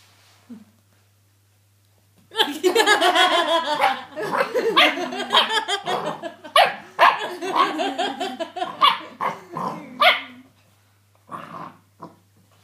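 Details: A setter puppy playing with a toy among its new family gives a dense, rapid run of high yips and short barks for about eight seconds, then one brief bark after a pause, over a steady low electrical hum.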